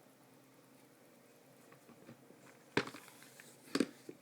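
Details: A quiet indoor room with faint background hiss is interrupted by two sharp knocks or taps, and no animal call is heard.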